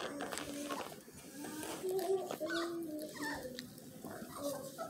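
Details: Several Miniature Australian Shepherd puppies whining together, steady high tonal cries overlapping continuously, with soft rustling and some voices in the room.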